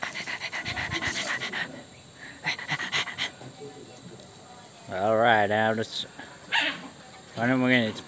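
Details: Angry dog reacting to an annoying sound: panting and sniffing at first, then two loud harmonic growling barks with wavering pitch, each lasting close to a second, among people talking.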